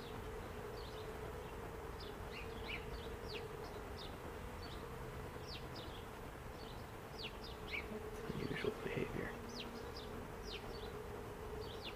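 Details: Honeybees at the entrance of an observation hive, a steady low buzzing hum running throughout, with short high chirping sounds scattered over it.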